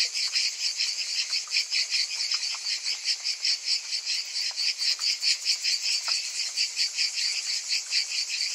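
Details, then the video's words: Summer cicada chorus, several insects at once, a bright high-pitched rasping drone throbbing in quick regular pulses, with faint short ticks beneath and nothing else prominent. "Cicadas in Summer"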